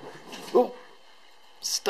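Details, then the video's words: Bonnie, the littlest Cairn Terrier, play-fighting indoors with her big sister Sammi: two short, sharp yelps about a second apart, separated by near-quiet, with a breathy burst between them in a small room. "Littlest Cairn in the fight."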